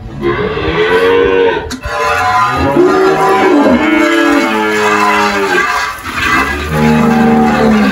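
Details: Girolando cattle on a farm in Anápolis, Goiás, Brazil, 1 March 2023: a string of drawn-out, harmonic-rich moos, some falling in pitch, one after another across eight seconds, with a brief knock near the start.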